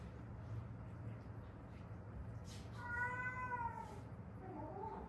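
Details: Former stray cat from Haeundae, mother or daughter of a rescued pair, seven years outdoors with bones set crooked after a road accident; one soft, falling meow midway, a faint short chirp after, over constant low room hum.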